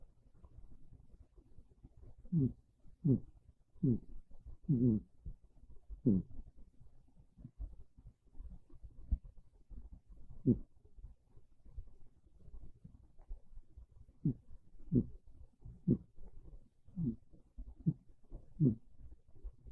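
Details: A pet cat named Monta dozes on a bed on a chilly, rainy early afternoon, snoring gently. Soft, low grunting breaths come in irregular runs, some close together and others after pauses, with a hushed indoor background.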